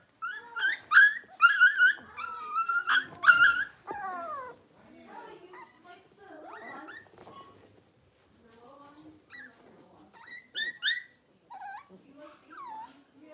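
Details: Six-week-old blenheim Cavalier King Charles Spaniel puppies, a litter of five born at New Year's, in a home puppy pen. High, harmonic whines and yelps come in quick bursts, then fade to softer, scattered squeaks.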